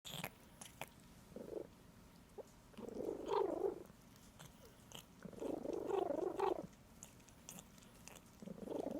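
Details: Pet cat making funny noises while licking: wavering, warbly murmurs in bursts about a second long, separated by wet licking and clicking sounds, indoors.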